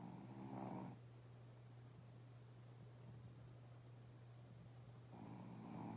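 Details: A sleeping Shih Tzu twitches its legs while snoring loudly indoors: a rasping, breathy snore opens the stretch, then a quiet pause with a steady low hum, and a second snore begins near the end.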